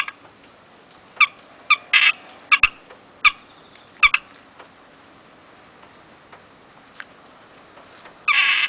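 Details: Masked palm civet calling from inside a roadside drain at 2 a.m. in light rain: loud, shrill, harsh cries in short bursts, several spaced over the first four seconds, then a longer harsh burst at the end; otherwise quiet.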